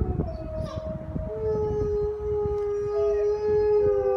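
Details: Several gray wolves in a zoo howl together in long, steady, overlapping tones, pack members calling back and forth to one another.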